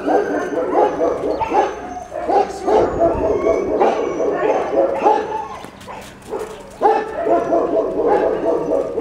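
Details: Siberian Husky puppies at play, giving dense overlapping yips, whines and small barks almost continuously, with a short lull near six seconds.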